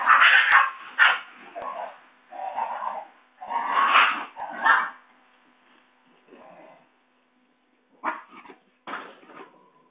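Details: Basenji puppies at a kennel in Saraburi, Thailand, dated 6/02/2011, playing, play-fighting and running to their mother: bursts of harmonic yelping and whining vocalisations, some loud and drawn out, others short, separated by brief pauses.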